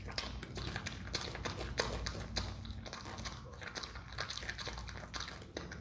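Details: A pet Himalayan marmot (Marmota himalayana) chewing a carrot, crunching with rapid, irregular crisp clicks and grinding bites.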